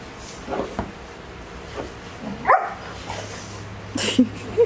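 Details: While playing on a couch, a Dogo Argentino puppy lets out several scattered short yelps and squeaky whines, one stronger cry near the middle, amid soft rustling and faint background murmur in an indoor room.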